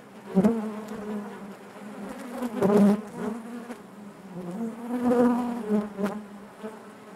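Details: Honey bees buzzing inside the hive: a rich low drone with harmonics, punctuated by a few strong swells where bees pass near, then settling back to a steady hum.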